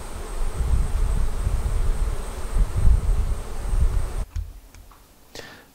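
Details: Honey bees at a Flow Hive during its first honey extraction, taken frame by frame: a dense, low droning hum holds steady for about four seconds, then stops abruptly, followed by a few sharp handling clicks and a quieter tail.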